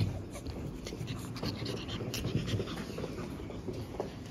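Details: Pug puppies, litter siblings born April 17, five in the litter and soon going to new homes, panting in quick breathy bursts with soft snuffles and scattered rustling close to the microphone.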